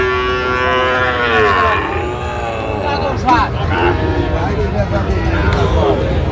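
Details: At a cattle market where a Chattogram farmer buys Sahiwal bull calves, 29 January: a long moo bending downward over about two seconds, a shorter call later, with people talking and bustle throughout.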